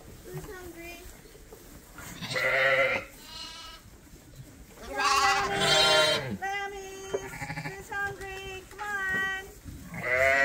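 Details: Bottle-fed lambs at a farm feeder crying out: a run of short bleats, then two loud, drawn-out quavering bleats, followed by several shorter overlapping calls from more than one lamb.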